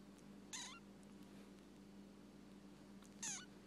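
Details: A very healthy baby rescued kitten gives two brief, high, thin mews about two and a half seconds apart, each sliding downward, over a steady low hum.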